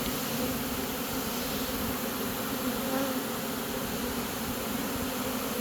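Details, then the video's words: A swarm of honey bees marching into a new home as it is caught produces a continuous, full, steady buzzing hum with no breaks. "Catching a Honey bee swarm!"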